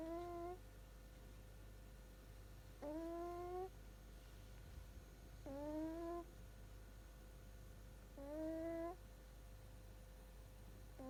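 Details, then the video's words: A Shiba Inu puppy snores while asleep. Each breath makes a thin, whistling tone that bends gently upward and lasts close to a second. Four such snores come about every two to three seconds against a faint constant room hum. "いびきをかく赤ちゃん柴犬がかわいい Snoring puppy"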